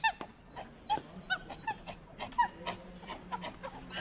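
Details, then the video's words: A monkey gives sparse, short whistled chirps, each a quick rising-falling squeak, spaced roughly every half second to second, with softer squeaks and faint background noise between them. "monkey sounds"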